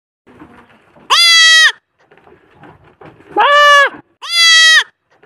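A young goat bleats three times, loud nasal maa calls rich in harmonics.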